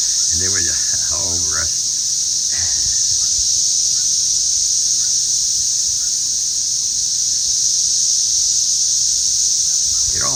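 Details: Many cicadas swarming around a garden with potatoes, just emerged and hunted by birds: an unbroken, intense high whining drone fills the whole stretch, with a few spoken words at the start.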